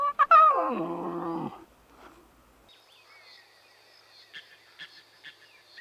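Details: Lion cubs at play in the wild give a single loud, harmonic call that slides steadily downward over about a second. Faint scattered chirps and clicks follow in a quiet background.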